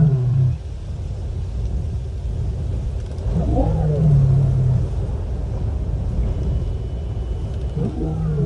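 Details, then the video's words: A female lion moans to contact other lions, Nkorho live camera, 30 September 2021: low moans at the start, middle and end, the central one longest, each opening with a faint higher overtone, over a continuous deep background rumble. "Lion: Female 11+ hrs "moaning" (searching contact)"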